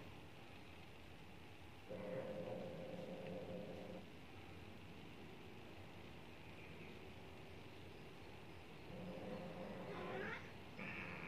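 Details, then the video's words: One-year-old neutered Maine Coon trying to mate a 16-year-old Persian, giving drawn-out, low harmonic yowls lasting about two seconds, then a rising, wavering cry near the end over a steady rumbling background. "one y.o maine coon trying to mate 16 y.o persian. Even after neutered"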